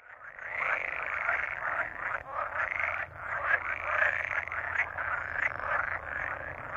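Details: A pool frog (Pelophylax lessonae) chorus, a dense, rattling, purring croak that swells and dips without pause.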